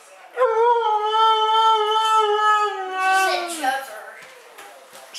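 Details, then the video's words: Mishka, a talking Siberian Husky, gives one long, rich, harmonic howl. It holds a steady mid pitch for about three seconds, then slides down and fades, with faint room noise afterward. "Mishka the Talking Husky"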